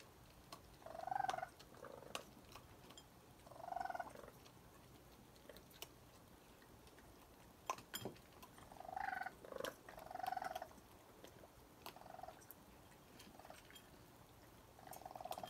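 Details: Raccoons, a mother and her young, at night around 1 am on a porch while eating, chirping: short trilled bursts around mid pitch repeated every few seconds, with clicks and chewing noises between.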